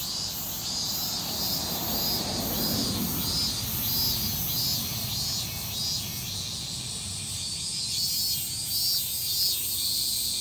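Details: Evening cicada (higurashi) calling in Japan: rapid buzzy pulses repeated in bursts high in pitch, over a constant shrill insect whine and a low rumbling background noise.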